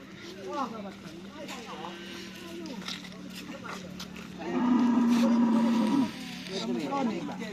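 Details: Cattle at karapan sapi bull race training at the Asemanis field, giving a loud, steady, drawn-out moo of about one and a half seconds that ends in a drop, amid people talking and crowd noise.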